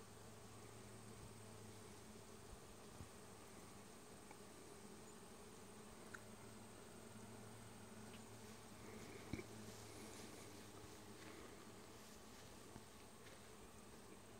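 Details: Bees in Vermont in summer: a steady, low droning buzz continues through the whole recording, with a few faint clicks and ticks above it.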